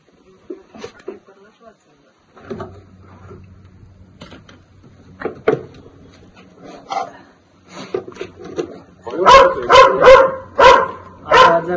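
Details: Dog facing a Russell's viper; Marathi talk and low hum fill most of the span before a cluster of loud, quick barks breaks out near the end.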